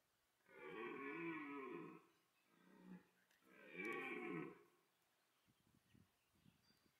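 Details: Autumn rut of red deer at Parc Sainte-Croix animal park, France, where stags chase, mate and fight, the loudest bellower best placed to win females. Two deep harmonic roars of about one and a half seconds, a short grunt between, then quiet rustling.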